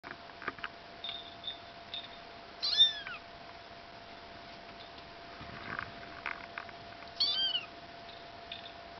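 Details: Bengal kittens during a house move: two brief, high meows that rise then bend down, near the third and seventh seconds, over a steady electrical hum, soft knocks and household rustling.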